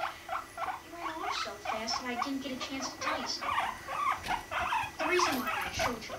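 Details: Guinea pigs Rumply and Fluff mating, Fluff five months old and at a healthy weight; rapid irregular clicking pulses over low, wavering rumbling tones, sputtering continuously throughout.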